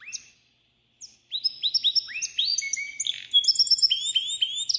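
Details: Pintagol singing a lot: rapid, varied song of sharp rising whistles and twittering notes, several per second, high and bright, with a short pause before the fast run begins.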